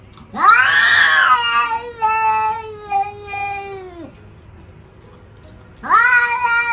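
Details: Domestic cat 'talking and yelling' like a human: a loud, drawn-out yowling meow that rises sharply, holds and slowly falls over about four seconds, then after a pause another loud meow begins.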